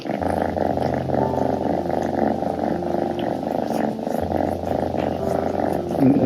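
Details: Two pet kittens on a cat tower purring while grooming each other, a steady low rhythmic rumble pulsing several times a second throughout, with a brief pause near four seconds and faint household sounds.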